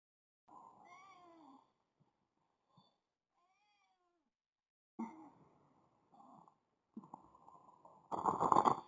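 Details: Domestic cat acting as an alarm clock, giving a series of drawn-out, wavering meows with rising-then-falling pitch, separated by short pauses, ending in a louder, harsher, more strained cry.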